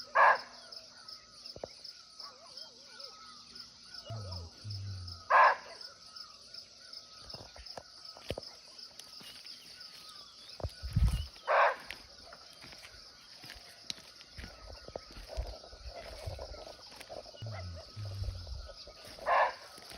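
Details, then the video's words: In a natural Nepal forest, a hidden barking deer (muntjac) nearby repeats short explosive barks, four in twenty seconds at uneven gaps of roughly five to eight seconds, over an unbroken high-pitched insect buzz and brief low rumbling noises. "Real Barking Deer Call"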